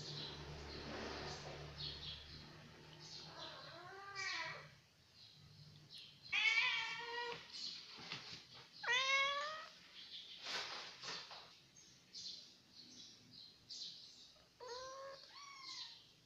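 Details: Village kittens fighting: several drawn-out, wavering meows and wails that arch up then fall, some short and sharp, spaced a few seconds apart, over a steady high chirping in the background.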